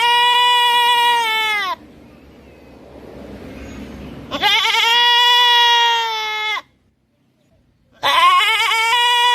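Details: Goat calling with long, drawn-out, wavering bleats of roughly two seconds each, three calls in all, with a low breathy rushing noise between the first two.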